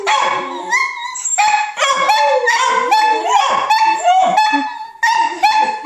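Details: A group of dachshunds singing together: layered, warbling howls slide up and down, with high yips and whining notes woven through a dense, continuous chorus.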